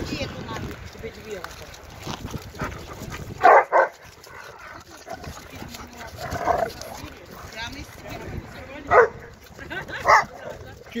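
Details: Black Giant Schnauzer barking: four short, loud, sharp barks at uneven intervals over about eleven seconds, set against steady background noise and voices.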